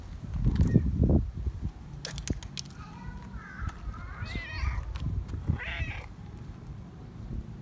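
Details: Affection-seeking friendly feral cat that does not want a person to leave gives a run of several short rising-falling meows in the middle, with handling noise and low rustling at the start.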